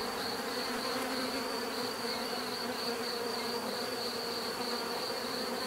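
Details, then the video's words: Bees give a continuous dense buzz, an unbroken droning hum with a soft click near the start and otherwise even loudness. "bees therapy relaxing natural buzzing sound"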